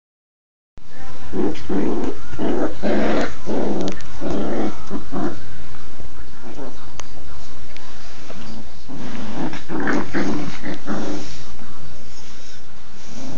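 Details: Two standard poodles playing together on their first day home, giving rough, throaty growls in bursts of about half a second, repeated in quick runs with short gaps and a lull midway, then picking up again.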